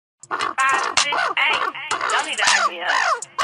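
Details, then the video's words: A chimpanzee gives loud, harsh, wavering calls in quick overlapping bursts, with pitch rising and falling; human voices may be mixed in. "The Call of the Wild - CHIMPANZEE"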